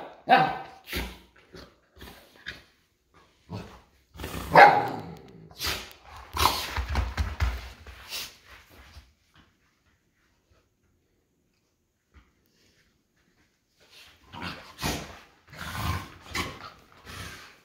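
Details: An American Akita puppy growls and barks in short, rough bursts while play fighting and wrestling with an old Golden Retriever.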